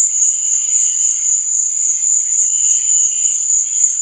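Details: Night cricket chirping as an even, high, sustained trill, with a faint lower chirping band swelling midway and a couple of tiny clicks.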